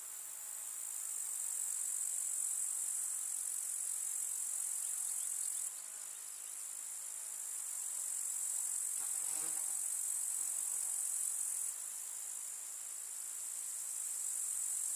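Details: Grasshoppers chirping in a countryside summer meadow, a constant high-pitched stridulating wash, with a brief low buzzing pass, like a flying insect, around nine seconds.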